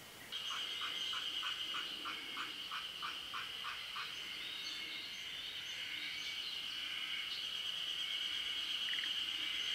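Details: Forest green tree frogs during midday spawning in Japan: a run of about ten short, evenly spaced pulsed croaks over roughly four seconds, then they stop, while a continuous high, shrill drone runs beneath throughout.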